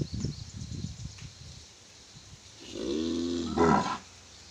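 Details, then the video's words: Black Ongole bull bellowing, a deep rising harmonic call swelling over about a second and a half near the end, preceded by snorting and grunting sounds. "రంకెలు వేస్తున్న ఒంగోలు గిత్త"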